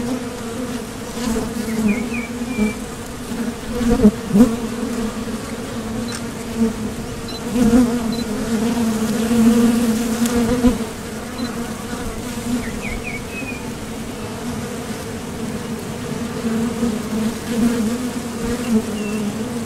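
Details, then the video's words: Nectar-foraging honeybees at the entrance of a Top Bar Hive. A sustained humming drone, louder bursts as bees fly near, and two brief clusters of high bird chirps in the distance. "Bees Sound Effects"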